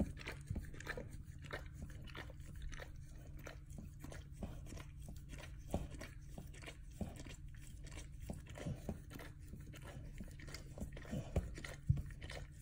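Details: A dog gnaws and licks at his bunghole inside a small room, making soft, irregular crunching and smacking clicks at a steady busy pace over a low background drone.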